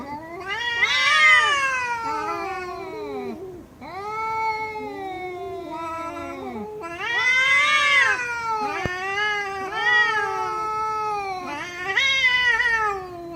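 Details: Domestic cats meowing in a compilation: a series of long, loud, drawn-out meows with rich harmonics, each rising then falling in pitch, some wavering, separated by short pauses, with a brief click near the middle.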